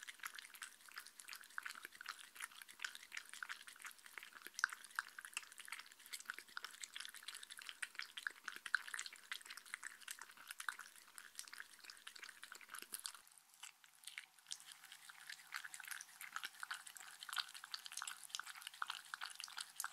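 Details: A Shetland Sheepdog named Mindy drinks indoors, its lapping a dense, continuous stream of wet clicks and drips. The tongue strokes blur into steady liquid splashing that changes tone briefly partway through.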